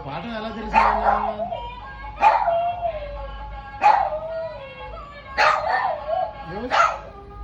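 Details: Pet dog 'singing' indoors on its owner's request: five loud howled yowls about one and a half seconds apart, each sliding sharply down then wavering, with rich overtones and a faint steady hum beneath.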